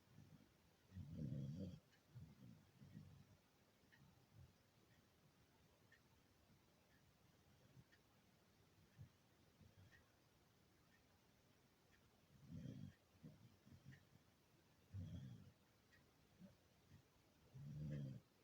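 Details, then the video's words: Beagle snoring in its sleep, low throaty rumbles coming in irregular bursts, a pair near the start, then quiet, then three more snores spaced a few seconds apart toward the end. "SNORING BEAGLE"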